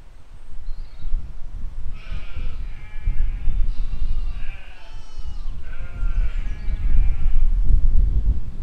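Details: Sheep and lambs grazing in a field in spring 2020 give several wavering, nasal bleats in close succession, rich in overtones, over a steady low rumble of wind or ground noise.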